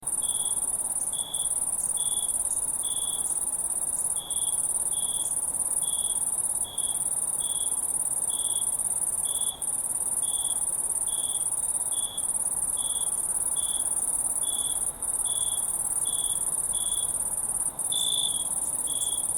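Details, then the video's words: Crickets calling in the wild as a crowd: a steady high shimmering trill runs throughout, overlaid by short chirps near 3.5k repeated evenly about every 0.6 seconds, with brief dropouts in the continuous trill. "Crickets in the Wild Sound Effect"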